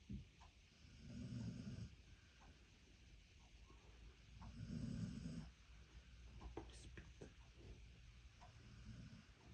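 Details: Boy, an American Staffordshire Terrier, snores in two deep rasping bursts a few seconds apart, with softer breathing and faint clicks between them.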